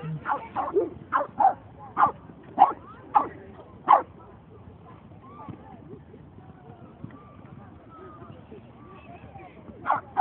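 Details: Boston Terrier at a dog run, recorded 22 May 2011: a quick run of about seven sharp barks over four seconds, then a lull with low background murmur, and two more barks near the end.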